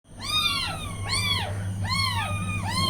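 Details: Newborn kittens beside their mother cat giving tiny high meows: four arched, rising-then-falling mews about half a second each, spaced roughly every 0.8 seconds, over a steady low electrical hum.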